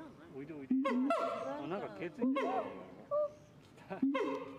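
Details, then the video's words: Kera gondok, the siamang, calling in loud bursts that rise and bend in pitch, several overlapping swoops in quick succession, with a brief short note in one of the gaps. "SIAMANG SUARA KERA GONDOK"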